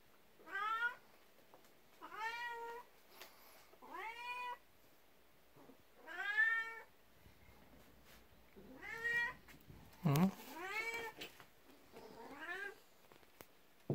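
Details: Jealous of the 19-year-old elder cat, a 12-year-old black cat named Beni rubs against legs indoors and meows for attention. Eight or so upward-sweeping meows arrive at uneven intervals, with faint room rustling and a brief thump near the middle.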